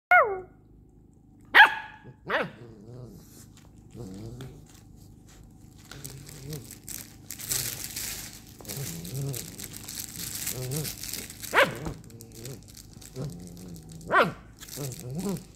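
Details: Bernese Mountain Dog puppies playing, giving short yips and barks with whiny, rising squeals at irregular intervals, mixed with growly play noises and a burst of broadband rustling and scuffling in the middle.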